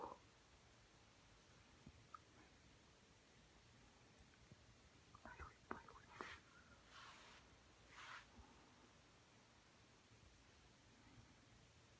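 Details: Quiet indoor room where soft whispering and a few breathy bursts rise over faint background hiss, with no animal sound.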